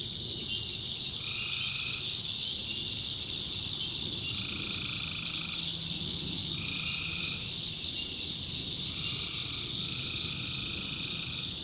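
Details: Night chorus of tree frogs from a North Carolina backwoods swamp. A continuous shrill drone is broken by five buzzy trills, each about a second long, spaced two to three seconds apart, above a soft low hum.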